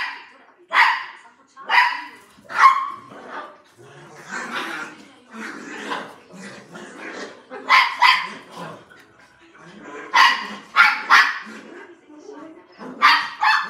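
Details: Playing poodle barking in short sharp yaps, singly and in pairs, with softer low noises between bursts.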